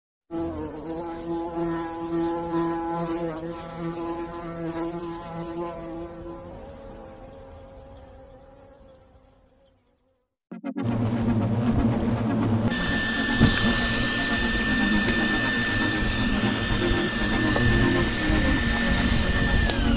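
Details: Hornets at a nest being removed from a tall tree by rope; steady droning buzz with a low humming tone for about six seconds, fading away, then a brief gap before loud broad rushing noise with a high steady whine.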